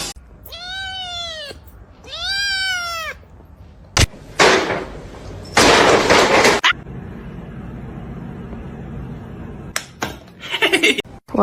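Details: Kitten giving two loud, clear meows, each rising then falling in pitch and lasting about a second, followed by bursts of rustling and thumping noise.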